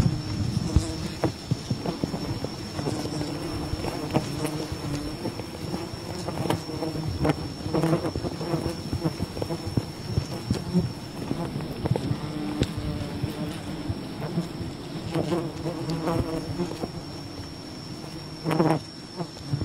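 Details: Low buzzing drone from a wild bee colony being harvested for honey, steady throughout with many sharp clicks, thumps and rustling handling noises layered over it.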